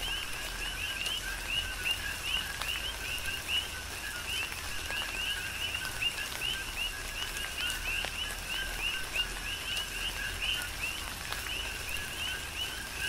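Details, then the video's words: On Hawaii's Big Island, coqui frogs keep up a continuous chorus through a tropical downpour. Steady two-tone calls, the second note higher and sweeping upward, overlap constantly beneath falling rain. "Tropical Rain & Coqui"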